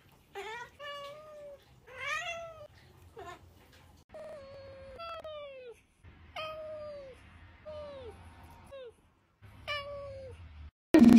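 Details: Cat in a compilation of funny and baby cats from TikTok, uttering a run of bent, wavering meows that rise then fall, some drawn out, over low room noise, ending in a sudden loud burst.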